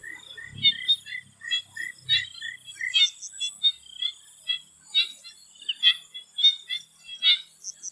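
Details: Chorus of swamp frogs in Thailand before sunset: a quick series of short bright croaks, roughly seventy a minute, irregularly spaced, overlaid by a constant shrill insect drone and a couple of faint low thumps early on.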